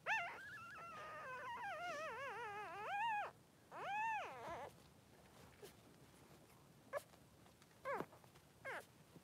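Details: Three-day-old Blenheim Cavalier King Charles Spaniel puppy in its mother Pom-Pom's pen cries with long wavering whines, two drawn-out arching wails in the first five seconds, then a few short faint squeaks.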